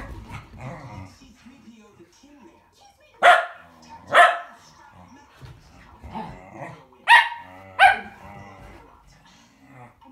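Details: Tricolor and blue merle Shetland Sheepdogs during a race in February 2017 give four sharp, ringing barks in two pairs about three seconds apart, with quieter talking and encouragement from people between them.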